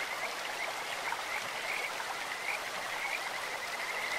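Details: Kajika frogs by a clear stream: short chirping whistled notes at one pitch, repeated irregularly through the stretch, partly masked by loud splashing water.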